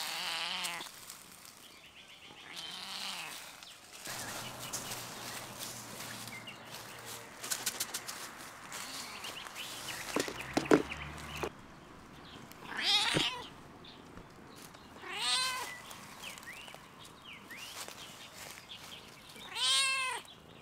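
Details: Stray domestic cat on a fence on a coronavirus-closed campus, giving several short, rising-and-falling meows spaced a few seconds apart in the second half, after rustling, tapping and a low hum early on.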